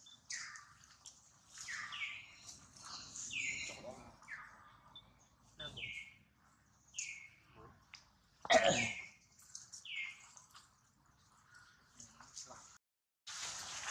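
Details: Young monkey Duke cries after getting hurt in a failed attempt to catch his mother Duchess: a string of shrill downward-sliding wails at irregular intervals, with loud knocks and a burst of noisy rustling near the end.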